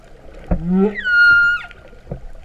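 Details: Humpback whale song recorded underwater off Vava'u, Kingdom of Tonga, in September 2015, its moo-like quality noted. A low rising moan leads into a long steady high whistle with a quick downward slide at the end, over faint clicks and water noise.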